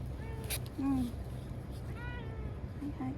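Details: Chanta, a timid ear-tipped TNR domestic cat in Okinawa, cries after being caught and sheltered in a bathroom ahead of Typhoon No. 10 in September 2020. Several drawn-out, bending meows come at irregular intervals over a low steady rumble, with soft human murmuring.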